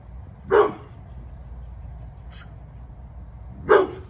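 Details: Eleven-year-old Pit Bull Bullet guards the yard with two deep, gruff barks about three seconds apart, a faint brief sound in the quiet gap between them.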